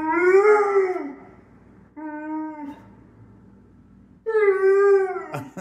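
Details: Indoor pet Pit Bull 'talking' to demand carrots: three howling, whiny moans. A long wavering one comes first, then a shorter, flatter note, then a third long moan sliding slightly down, with a sharp click at the end.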